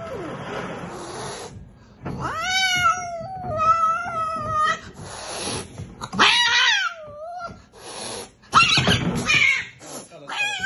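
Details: Angry cat at the vet, hissing and growling: long wavering yowls that bend up and down, broken by harsh noisy hiss bursts, in a small indoor room.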